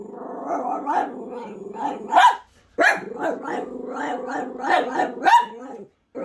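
A Miniature Pinscher grumbles and yowls in long, wavering, growly tones, broken by a couple of sharp barks.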